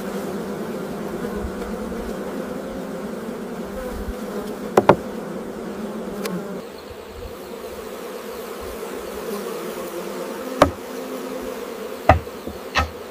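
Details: Honey bee colonies during hive maintenance at a large-scale honey farm; a continuous droning hum of many bees, fading somewhat halfway, broken by several sharp knocks and clatters of equipment.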